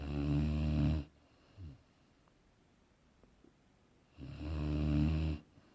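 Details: Boerboel named Aaron asleep and snoring: a loud, rasping low inhaled snore lasting about a second at the start, then a faint short exhale, and a second long rumbling snore after a quiet pause.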